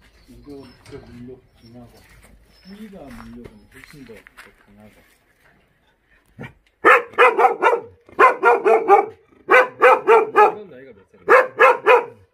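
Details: Jindo dog met on Jindo, Korea, barking in quick clusters of three or four sharp barks with short pauses between, starting after a stretch of people talking.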